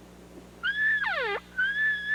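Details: During an elk hunt using calling in New Mexico and Colorado, a bull elk bugles: a high, clear whistle that breaks into a falling squeal, then another whistle.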